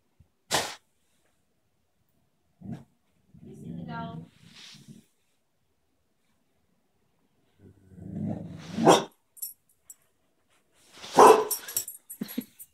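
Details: A female puppy barks at her reflection and at people seen in a mirror, though she rarely barks at random things. Sharp, loud barks come in separated bursts near the start, middle and end, with lower voiced sounds and talk between them.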